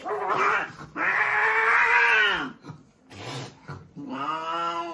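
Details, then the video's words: During a cat fight, drawn-out wavering yowls rise and fall in long loud bouts with a short gap between them, ending in a rising, strained howl. "Cat Fight Compilation Video"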